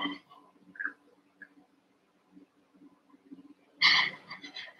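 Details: Young Cavalier King Charles Spaniels, eight puppies around seven weeks old, romping in a puppy pen; quiet shuffling and a brief squeak give way to one loud, harsh, rough-edged yelping bark near the end over a low background hum.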